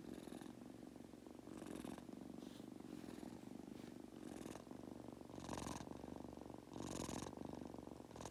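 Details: Pet Munchkin kitten drifting off to sleep, purring continuously in a low vibrating rumble, with louder breathy hiss-like bursts marking breaths about every one to one and a half seconds.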